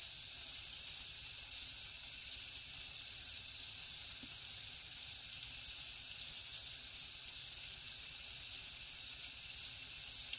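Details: Crickets in a night-time jungle keep up a dense, continuous shrill buzz, with irregular faint higher chirps scattered across it and the tone rising slightly toward the end.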